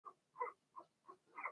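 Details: Blenheim Cavalier King Charles Spaniel puppies from Remy's first litter of six, two girls and four boys, in an indoor puppy pen during potty training. Five short squeaky yelps come in quick succession, roughly every third of a second.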